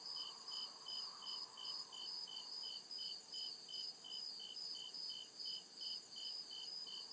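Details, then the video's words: Crickets in deep woods after dark: regular high-pitched chirping, close to three pulses a second, alongside a sustained piercing trill and a faint lower drone that fades away. "CRICKET CHIRPING SOUND"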